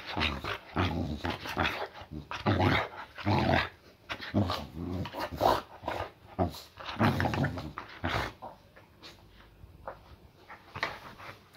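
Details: Female Boxer with a muscle injury, meant to be resting, greets her owner just home from work with rough, low growls and grumbling bursts, repeated roughly once a second, mixed with the man's talking and brief music.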